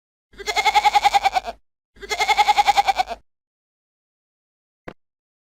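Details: Goat bleating twice, each bleat lasting over a second with a rapid quavering tremolo of about a dozen pulses, nasal and mid-pitched, separated by a short pause and followed by a brief click.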